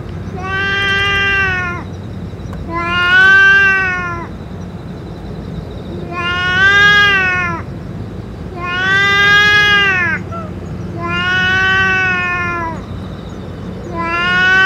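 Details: Stray boss cat that has eaten its food and medicine, giving six long, drawn-out meows about every two and a half seconds, each swelling and then falling away, over a steady low hum.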